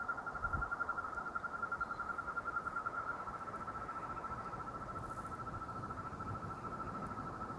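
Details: After a day of rain, frogs keep up a continuous, rapidly pulsed trill on a single unchanging mid-high pitch, with a soft hiss of background noise beneath it.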